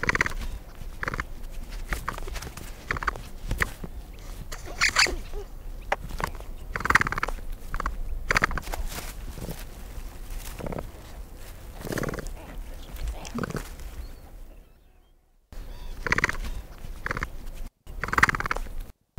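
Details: Capybara making a long run of short squeaks and grunts, irregularly spaced at about one per second, with low rumbling background noise and a quieter pause near the end.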